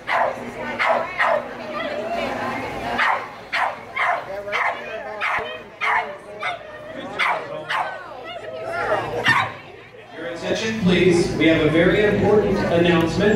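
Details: Young Rhodesian Ridgeback, aged four and a quarter months, at a lure coursing event, gives a run of loud, evenly spaced barks for several seconds before the barking stops and crowd chatter and talking take over.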